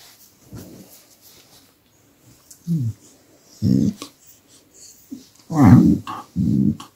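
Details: Displeased pet dog after its human stops massaging it, camera very near; a series of separate low growling bursts, some bending in pitch into whiny grumbles, growing louder toward the end in a quiet room.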